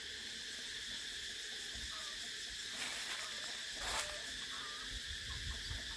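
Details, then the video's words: Cicadas drone in a steady, shrill high-pitched buzz that holds without a break, with a few faint whistled notes from other creatures underneath and a brief swell near the fourth second. "Tiếng Ve Sầu kêu hay nhất"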